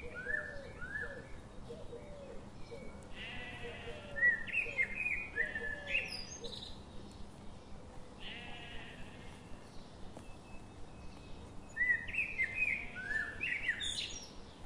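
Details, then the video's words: Sheep grazing in a forest under morning sun bleat in several drawn-out, tremulous calls, some clustered around four to six seconds and again near twelve seconds, while small birds chirp and whistle throughout against a faint hiss. "Morning sun and grazing sheep in the forest"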